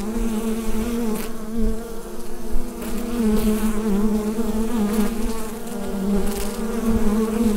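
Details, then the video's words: Inside a beehive, recorded through a USB microphone, many bees produce a rich unbroken drone, low and gently wavering, topped by a fainter higher hum; level pulses slightly with a few faint clicks. "Bee Hive Sound Effect"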